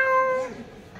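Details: A black cat gives a single clear, tonal meow lasting about half a second, steady in pitch with rich overtones, then fading into quiet room tone.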